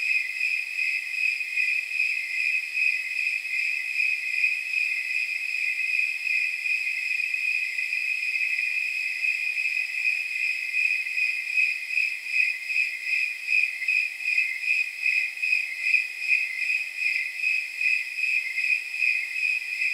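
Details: Snowy tree crickets chirp on a night of about 79 degrees. A steady shrill ringing tone carries pulses that become more distinct and regular toward the end, about two or three per second.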